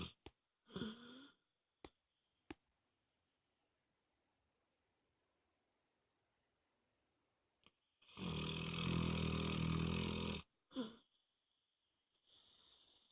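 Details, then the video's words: Loud snoring from Moses the dog in a small room: a short snort early on, near silence for several seconds, then a long rough rattling snore followed by a brief snort and a softer breath. "Snoring Dog"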